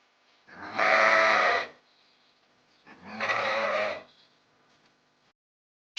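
A sheep gives two long, wavering bleats about two seconds apart, each lasting around a second, with a brief sound starting at the very end.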